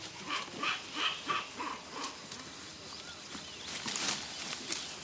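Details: A troop of almost 40 northern pig-tailed macaques in forest in central Thailand's mountains give short, bright, barking calls, about three a second, fading into scattered softer calls over a background hiss.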